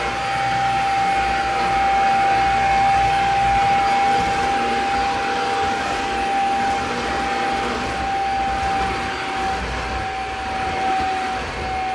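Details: Continuous roaring vacuum motor with a high whine that holds throughout, and no dog or other animal voices heard.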